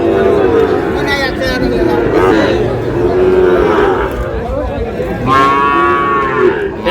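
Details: Sahiwal bull calves at a cattle market in Chittagong, Bangladesh, on 28 August: a harmonic bovine moo rises above constant crowd chatter and voices, with a louder, brassier low near the end.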